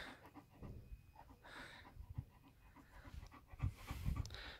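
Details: Panting from Major, a German Shepherd kept as a pet, during dinner in hot weather: low, uneven huffs roughly twice a second, growing louder and heavier toward the end.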